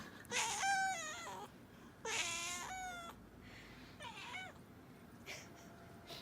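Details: Domestic cat called Mami, a pet whose voice its owner finds funny and cute, gives three harmonic meows, the first two long and falling at the end, a shorter third, then a faint fourth at the close.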